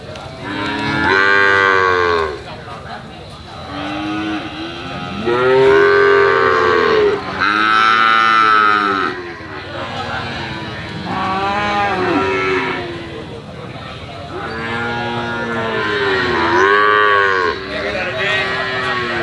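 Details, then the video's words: Calf moos in a long series, bursts of arching harmonic calls of varied pitch, some high and strained, separated by brief pauses, with overlapping voices through much of the recording. "SUARA SAPI PEDET MERDU ( SUARA HEHAN )"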